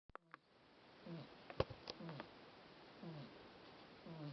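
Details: Domestic cat named Mashka snoring loudly while sprawled in the sun; soft low breathy snores recur about once a second, with a few sharp clicks and knocks near the start and middle.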